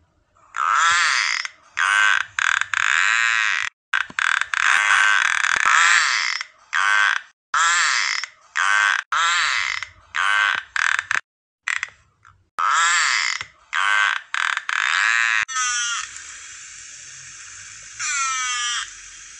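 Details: Narwhal (Monodon monoceros) calls: buzzy, creaking pulsed bursts repeated in quick series, then a few rising whistles.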